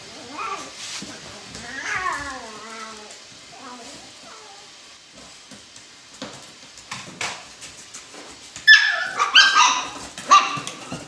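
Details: Alaskan Klee Kai puppies in a box whine and yelp in high, wavering cries, with a burst of squealing near the end.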